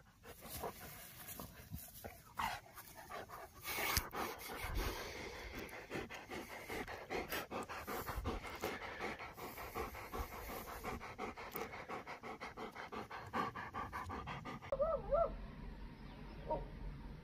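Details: A Dobermann out in the last autumn sunshine, breathing in fast, steady panting pulses that run the whole way through, with a short burst of other noise near the end.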